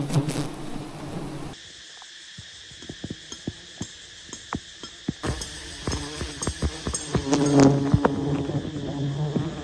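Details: Wild honey bees at a giant nest high in a tree, as honey hunters approach to harvest it, filmed from a distance: a steady low droning hum with harmonic bands, broken by sharp clicks and handling knocks, after an abrupt cut.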